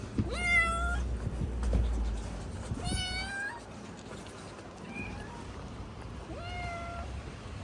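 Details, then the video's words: Injured rescued kitten in a carrier, meowing non-stop on the way to the vet: three loud, clear, rising-then-falling harmonic meows spaced a few seconds apart, plus one faint short mew, over low rumbling background noise. "Yavru kedi veterinere ulaşana kadar durmadan miyavladı."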